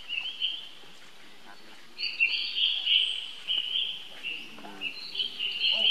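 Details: Baby monkey screaming for help from its sibling; after a quieter start, long high whining screeches come in repeated bursts, with faint low chattering underneath.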